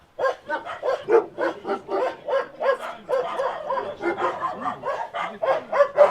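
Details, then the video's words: Dogs at a rescue site in Ukraine, barking in a rapid, uneven run of sharp barks about three or four per second, with some yips mixed in. A faint voice is heard in the background. "Crying Dog With Embedded Collar"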